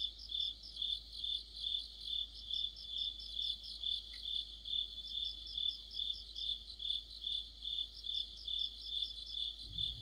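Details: Dense autumn insect orchestra led by crickets, with a constant piercing high trill and rhythmic pulsing chirps rising and falling evenly, a faint thump at the very end.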